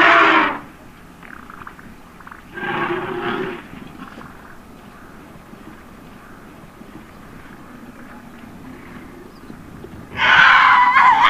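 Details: Calling for help while stuck in mud, a baby African elephant on a South African safari gives three harsh, blaring screams, short at first and longer at the end, with long quiet gaps between, before its mother arrives.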